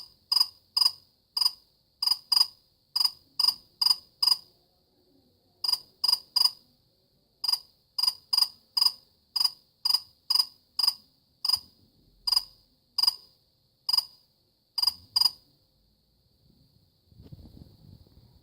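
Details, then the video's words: Steady high chirps from a cricket, around thirty crisp pulses over fifteen seconds with short pauses between runs, ending in soft low rustling. "كيف يصدر صرصور الليل شادي الصوت"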